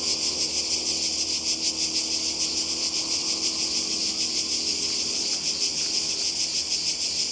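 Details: Summer cicada chorus on the Croatian coast, a loud unbroken shrill hiss pulsing in quick rhythmic waves over several seconds, no birds or voices standing out.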